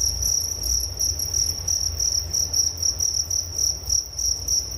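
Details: Crickets chirping for relaxation and sleep: a steady high-pitched trill in rapid pulsed bursts, about three per second, with a faint higher overtone and a low rumble beneath.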